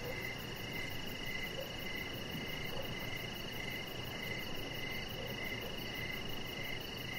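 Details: Evening cricket chorus by a deck. Rapid high chirps repeat in close succession over a sustained ringing tone, with a faint low murmur and outdoor hiss underneath.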